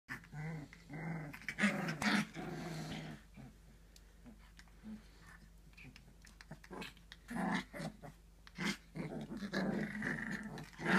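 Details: Fox red Labrador Retriever puppies, three weeks old, playing indoors: soft low growls and grumbles in short bursts, with scuffling and brief pauses between spells of noise.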